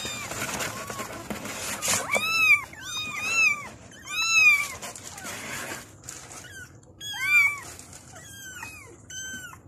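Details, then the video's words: Kittens meowing to call their mother, bursts of two or three high, arched mews repeated every second or two, some overlapping, with soft rustling and scuffing between calls. "The kittens meowed and called their mother"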